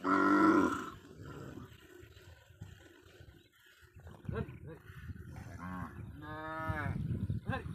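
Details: On a Padma river char, cattle smuggled across the Indian border give a rising, strained moo late in the recording after a loud opening burst, with murmured voices and scattered shorter bellows around it.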